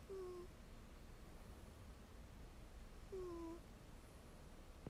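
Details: Ragdoll cat named Mel sound asleep with its head on another cat's rump, giving two brief whistling snore squeaks, thin and slightly falling, about three seconds apart in a quiet room.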